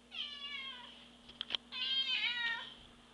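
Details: Divot the cat, a pet cat, gives two meows indoors. The first is long and drawn out and falls in pitch. A few sharp clicks come in the short gap before a second, wavering meow.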